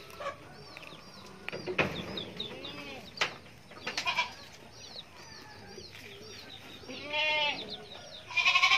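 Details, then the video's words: Goat kid bleating in short, quavering, harmonic cries late in the recording, set among many thin rising chirps, brief clicks and knocks, and a steady low background hum. "anak kambing lucuu..."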